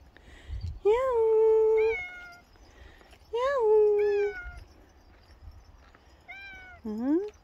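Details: Pet cat described as a very dog-like cat. It gives three drawn-out tonal meows, each rising briefly and then holding a long level note, spaced about two to three seconds apart. Faint low rumble runs in the background.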